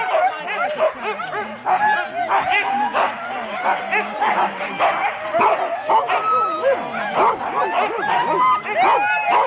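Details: Four-dog Husky teams waiting to start at Rendlesham in January 2016, recorded on analogue cassette. Many dogs bark and yelp together in a constant excited clamour, with rising whines and a few people talking underneath.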